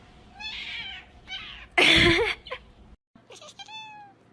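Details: Domestic cat meowing indoors: several short harmonic meows, then a loud broadband burst, a brief pause, and a final clear falling meow.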